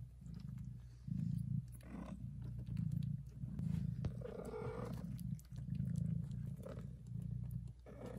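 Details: Very loud purr of a mother cat nursing and licking her kittens, heard as rhythmic low rumbling bursts, roughly one per breath, with a short faint kitten squeak between them.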